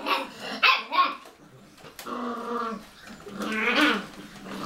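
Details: A Cocker Spaniel playing in a bathroom gives two sharp barks, then drawn-out, wavering whines and growly yowls.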